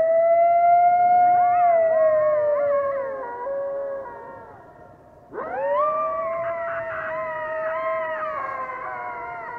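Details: Coyote howling. Long sustained howls waver and slide in pitch, with several voices overlapping. The sound fades around four to five seconds. Then a sharp rising howl starts and holds steady with warbling voices above it until the end.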